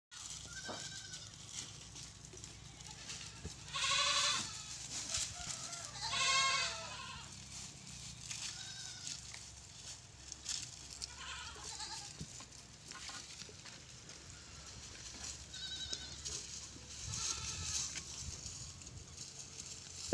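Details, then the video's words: Goats on a farm, a mother with four kids, bleating in several loud wavering bursts with strong harmonics, some higher-pitched, spaced irregularly over twenty seconds among quieter calls, clicks and low background hum. "#2 PATERI bakri 4 BACHUN,#BAKRI ki awaaz."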